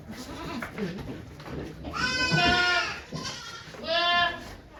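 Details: Okayu the goat in labour at Yoshigake farm, 3 May 2023, delivering twin kids with volunteers present. Faint voices first, then a long, quavering bleat, followed by two shorter bleats in quick succession.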